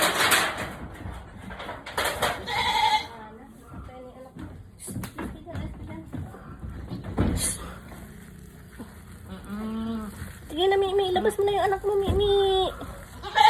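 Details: Filipino speech fills the opening as a person urges a labouring mother goat on. She then answers with a run of long, quavering, nasal bleats that falter and rise again.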